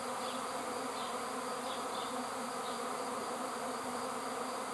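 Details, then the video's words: Bee swarm filling the air with a steady, even hiss-like buzzing drone, unbroken throughout and without distinct individual notes. "(A swarm of bees) Roj Pčela"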